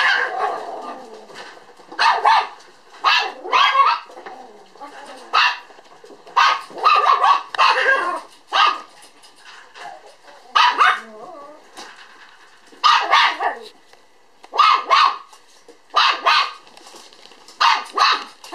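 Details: Female apricot puppy born April 17, recorded 11 December 2012, barks in short sharp bursts of two to four yaps, pausing about a second between groups, with faint human voices in the background.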